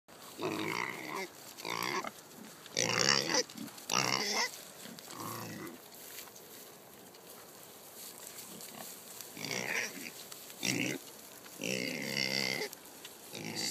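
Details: Kunekune pigs on a farm, fed pumpkin; the sow Jenny, excited, dances and calls noisily. Loud harsh squeals and grunts in bursts of about half a second, repeated irregularly, with quieter gaps between.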